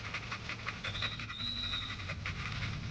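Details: Panting from a 4-year-8-month-old standard American Bully dog: fast, even huffs of breath, with a faint thin whining tone rising over the middle of the stretch.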